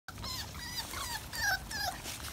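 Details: American Pit Bull Terrier puppies playing in a yard, giving high, thin whimpers and whines that rise and fall in short wavering strokes, several overlapping across two seconds, with a low rumble beneath.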